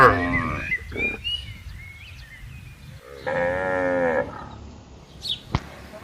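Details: Cattle being herded on broad pastureland; a short low bellow at the start, then a sustained, rich moo lasting about a second, with faint chirping in the background.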